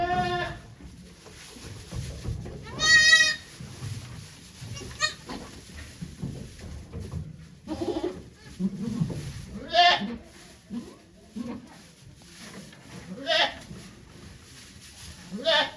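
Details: Goat during Okayu's delivery of two kids at Yoshigake Farm, 3 May 2023, with volunteers in attendance; one clear, strained bleat early on, then several shorter, fainter bleats scattered among voices and handling noise.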